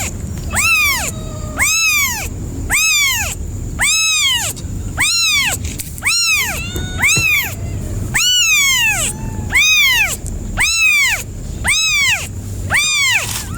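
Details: Loud, insistent cat meowing, about twelve drawn-out arched cries repeated roughly once a second, each rising then falling in pitch, with a faint low hum underneath.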